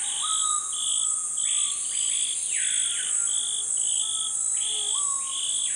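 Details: Pygmy marmosets, the world's smallest monkey, feeding on sap at a tree they visit regularly, its trunk covered in scars. Short, high, whistled notes repeat irregularly, with arching sweeps and lower steady tones, over a continuous shrill insect drone.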